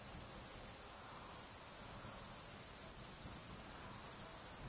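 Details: Male Fat-bellied Saddle Bush-cricket (Pycnogaster jugicola), Sierra de Gredos, 17 July 2019, giving its calling song: a very high, continuous shrill buzz pulsing steadily about three times a second, over a faint low background rumble.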